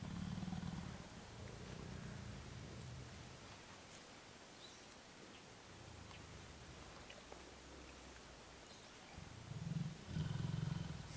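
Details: A mountain gorilla group in Volcanoes National Park, Rwanda, in July 2011 gives deep, throaty, grumbling rumbles in short bouts at the start and end. An adult silverback grooms a juvenile, then the group moves off.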